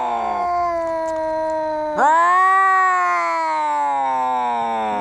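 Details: Cats in a fight howling continuously, one low sustained moan abruptly lifting into a louder, rising-then-falling yowl at about two seconds, held for the remainder.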